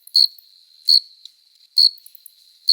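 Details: Cricket chorus sound of summer nights, a courting male rubbing its forewings together: four piercing high chirps at a steady pace of about one every 0.8 seconds, with a soft tone sustained in between.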